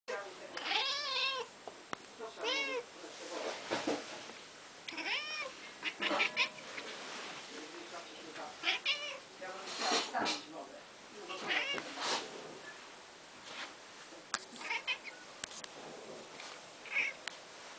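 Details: Luna, a pet kitty, 'barking' at falling snow, as she does at birds and flies at the window in summer; bursts of short, harmonic, chirping calls in quick series, pausing and resuming, with a person talking softly nearby.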